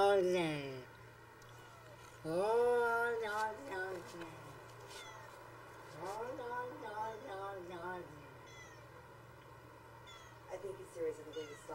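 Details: Domestic cat vocalising in long, drawn-out, speech-like yowls that rise and bend in pitch, several wavering calls in separate bouts with quieter pauses between.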